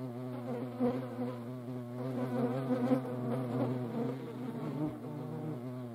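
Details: Close, loud, continuous buzzing of European hornets fighting one another in the Eifel. The wingbeat drone wobbles slightly in pitch and stays intense throughout, with brief dips and surges.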